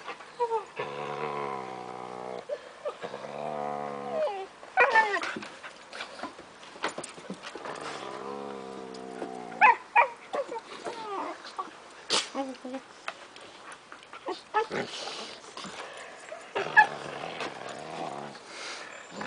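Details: Three five-month-old Siberian Husky puppies playing with two adult Huskies in summer 2008; drawn-out harmonic growl-whines in several stretches, broken by short barks and yips.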